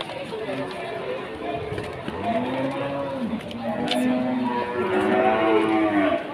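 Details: Lowing of Limousin cattle amid the bustle of Pasar Wage cattle market, Pati, Indonesia: a drawn-out, slightly arching low moo midway, then higher bellows near the end, over steady talking and crowd noise.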